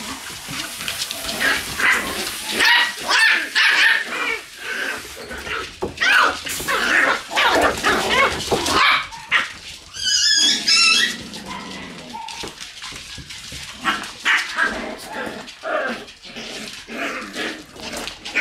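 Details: Shiba Inu puppies in their room on a November 11 morning, giving a busy, irregular mix of short high yaps and thin whines, several overlapping, with brief quieter gaps and a wavering squeal near the middle.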